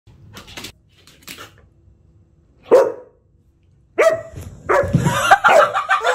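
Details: Pet Samoyed barking: faint rustles at first, one sharp, loud bark near three seconds, then after a pause a burst of higher, yelping, whine-edged barks running together over the final two seconds.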